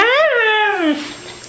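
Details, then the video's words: Pet dog making a weird noise while its owner repeats "I love you": a single tonal wail that rises, then slides down over about a second and fades into quiet indoor background. "Cute dogs making weird noises"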